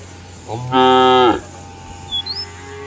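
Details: Village cow in a field, lowing to call its herd-mates back to the barn: a single strong, rich, steady moo of about a second, followed by a short high bird chirp over a faint hum.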